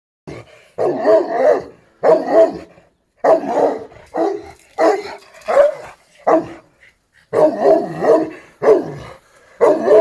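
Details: Šarplaninac (Yugoslav Shepherd Dog) barking in short bursts of deep, rough barks, often doubled or tripled, with brief pauses between groups.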